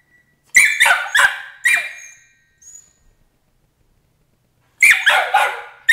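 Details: Emily, a 13-week-old Border Collie puppy, protests crate training with shrill, high-pitched yelping barks in quick bursts of three or four, a short pause, then another burst, in a quiet indoor room.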